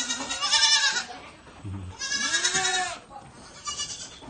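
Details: Baby goats being fed milk, bleating in wavering nasal cries, two long bleats about a second each with a fainter third near the end.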